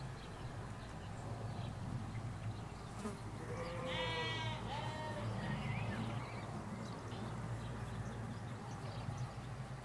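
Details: Sheep, ewes with lambs, in a field in the Hampshire countryside, England: a couple of overlapping wavering bleats around the middle, with a steady low hum of distant road traffic and faint birdsong.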